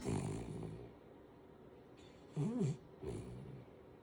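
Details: Five-month-old Kooikerhondje puppy snoring while sleeping sprawled between its owner's legs: short, rough, low snores at the start and near the end, with a brief wavering squeaky sound in between.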